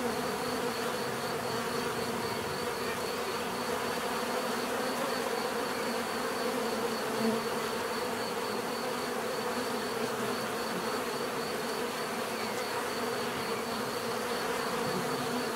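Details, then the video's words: Natural buzzing of bees: a continuous, even drone of overlapping wingbeats with layered low hum, a soft high pulsing whine in the background, level and unbroken for the whole stretch. "bees therapy relaxing natural buzzing sound"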